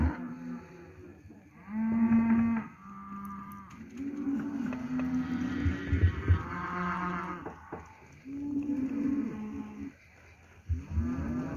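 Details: Several steers, lot 17 at Lago Escondido, moo in turn, with deep, droning lows about a second long, some rising and falling, overlapping one another at varied loudness through the clip.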